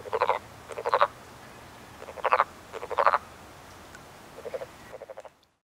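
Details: Wood frogs at a woodland pond in early spring, calling during their annual mating ritual; short, clucking, duck-like croaks made of rapid pulses, given in paired bursts about every second, then fading before silence at the end.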